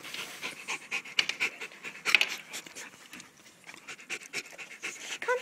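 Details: French Bulldog panting while it wants to come inside; rapid, breathy, noisy puffs repeated several times per second, with no other clear sounds.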